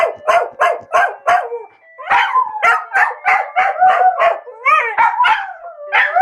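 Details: Two pet dogs, Bubu and Charlie, howling as they do daily at 13:00 when a phone alarm rings; rapid yelping howls with rising and falling wavering pitch, overlapping voices, barely a pause for six seconds.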